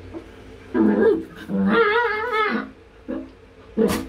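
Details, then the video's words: Clingy Chihuahua puppy wanting attention while its owner is in the bathroom: a brief whimper, then a longer wavering, singsong whine that rises and falls, and two short closing whimpers. "CHIHUAHUA puppy nagpapalambing pag nag-CR ka.."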